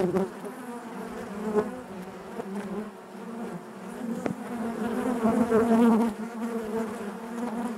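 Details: Honey bees buzzing inside their hive: a dense, steady hum with a strong low drone and layered overtones, swelling and easing in loudness as individual bees pass close, no other sounds.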